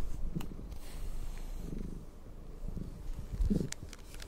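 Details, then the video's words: Cat purring during brushing: deep, even rumbling throughout, broken by brief scratchy brush strokes and a few light clicks. "cat purring and brushing"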